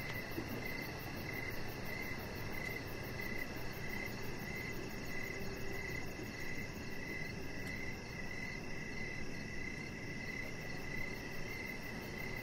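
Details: Outdoor evening ambience on a deck with crickets: regular high chirps pulse on and on for the whole stretch, a quick high trill shimmers above, and low broadband noise fills the background.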